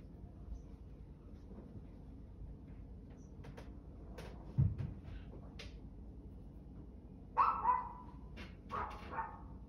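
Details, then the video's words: A dog lets out two short, rasping barks near the end after a quiet stretch broken by a dull thump and scattered clicks, with a constant low hum underneath. "barking dog"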